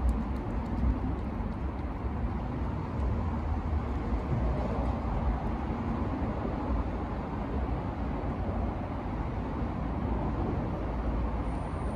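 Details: Steady low rumble of road traffic fills the outdoor scene, with no animal voice.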